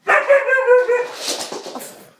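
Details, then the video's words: Pet white husky that dislikes the hoover giving a drawn-out wavering howl-bark fading into a rough breathy tail, with a person's voice following. "Samson does not like the Hoover haha"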